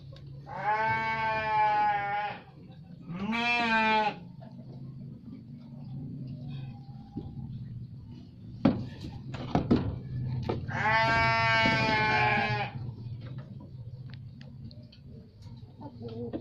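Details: Garut sheep giving three loud, nasal, harmonic-rich bleats, two close together near the start and a longer one later, with knocks and a low background hum between them.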